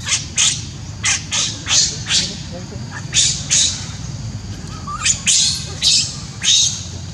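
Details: In Siem Reap Angkor Park, a newborn monkey calls for its absent mother with loud, rasping, high screams. They come in uneven bursts every half second or so, with brief pauses between runs, over low background rumble.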